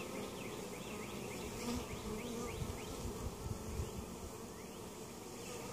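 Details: Honey bee hive in Mt. Perry, Ohio, opened during a varroa mite treatment check, producing a thick continuous buzz with small surges and a run of faint repeated high chirps early on.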